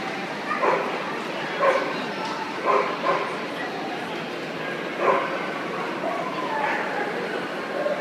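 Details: Siberian Husky at the World Dog Show 2013, giving about five sharp barks spaced irregularly, roughly one every one to two seconds, over a steady hall din of crowd chatter and distant voices.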